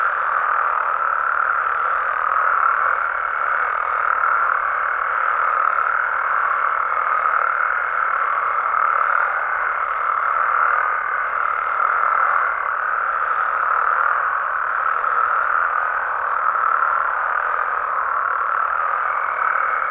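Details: Frogs and toads calling at night in natural habitat in Mexico: a dense, unbroken chorus of overlapping trilling calls forms a steady mid-pitched wall of sound, with a thin higher tone running through much of it.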